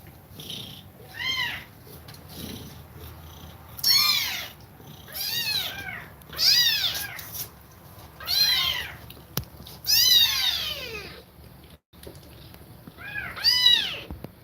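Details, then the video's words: Cat nursing kittens and breathing fast: loud, rising-then-falling mews come in uneven bursts every two seconds or so, some doubled or strained and harsh at the top, with short quiet gaps between. "Cat Breathing Fast While Feeding Milk To Kittens"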